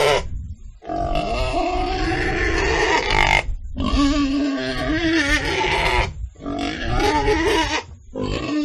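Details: Pig giving nearly continuous loud, rough squeals over a low rumbling background, broken by only a few brief pauses; the pitch wavers and strains throughout.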